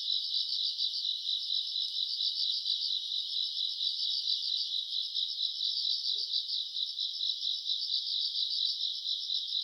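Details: Summer-night grass insects, self-recorded in August, keep up a continuous shrill trilling drone, beaded with rapid pulses that wax and wane; one faint low tap near the end.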